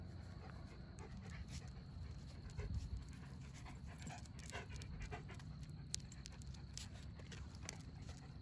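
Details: Midnight, a black dog and former stray, taken in by neighbours who also keep two yellow Labs, panting outdoors: soft breathy bursts in quick irregular runs over a steady low rumble of background noise.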